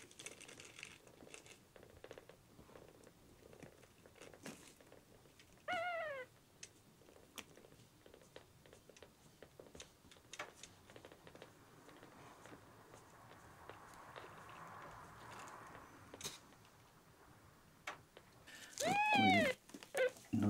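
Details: Rescued male red tabby-and-white kitten Miel, ten days after being found at one day old, sick and dehydrated and refusing milk, gives two high, harmonic-rich meows, one brief near the start and a longer bending one at the end, amid soft indoor clicks.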